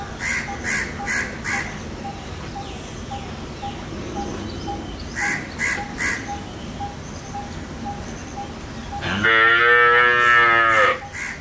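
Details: Indian desi black cow at a dairy, being milked with the calf close at hand; repeated harsh cawing calls of another bird early on, then one loud drawn-out moo of under two seconds.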